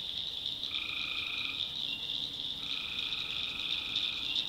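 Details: Night chorus of tree frogs in a North Carolina backwoods swamp. A continuous high, ringing drone carries throughout, while lower buzzy trills come in twice: once lasting about a second, then a longer one running to the end.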